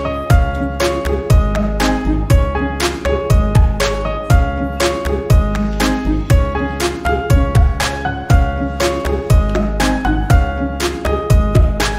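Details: Gentle background music with a steady beat of plucked and keyed notes, and no animal sounds.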